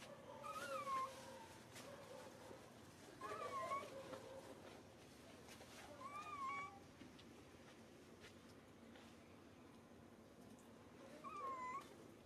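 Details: Crying of a baby monkey hurt when grabbed: four falling, whining wails spaced about three seconds apart, some paired with a lower steady moaning tone, over constant faint background noise.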